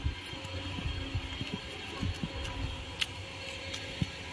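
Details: Low rumbling hum with soft thumps and occasional clicks, with no animal voice.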